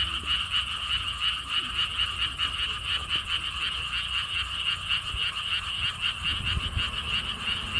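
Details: Many frogs call together at a lotus theme park with a stone-wall path, a pond in Siheung, South Korea, in a continuous, rapidly pulsed high trill that throbs several times a second over a soft low wind rumble.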